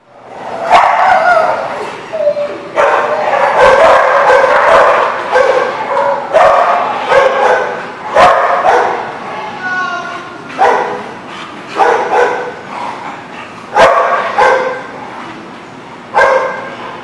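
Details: Dogs at a dog lot on 23 September 2019 barking loudly and almost nonstop: overlapping deep and higher yapping barks in rapid bursts, with some sharp single barks standing out throughout.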